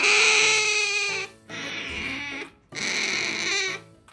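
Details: Female pet otter clinging to its owner and refusing to let go while the owner walks gives three loud, drawn-out, high whining squeals rich in harmonics, each about a second long with short gaps.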